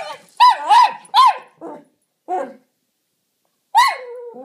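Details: Jack Russell Terrier barking at a toy helicopter inside: a quick burst of three to four sharp barks, a pair of lower yaps, then a final bark trailing into a whine.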